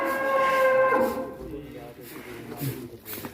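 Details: Cattle raging in the pen at Duta Farm 61, Kuningan, West Java, Indonesia: a tonal, harmonic moo lasting about a second, then fading into lower rumbling, background voices and pen noise.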